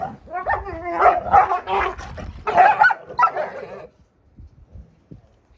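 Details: Two Alaskan Malamute puppies, brother and sister, wrestling roughly outdoors on sunny grass: a burst of noisy, wavering growls, yips and whiny vocal squabbling for about four seconds, then quieter scuffling.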